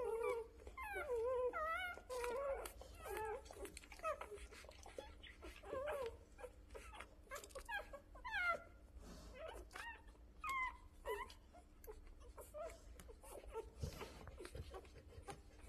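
Rottweiler dogs giving high, wavering whimpers and squeals in quick overlapping bursts.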